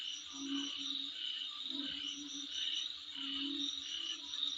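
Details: Before a dwelling, insects produce a shrill continuous trill with beaded high chirps, while a deeper croaking pulse rises and fades in roughly one-second bursts.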